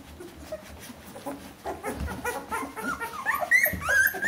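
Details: Bernese Mountain Dog puppies of one litter, 14 days old, whimpering; soft scattered squeaks build into higher, rising whines near the end.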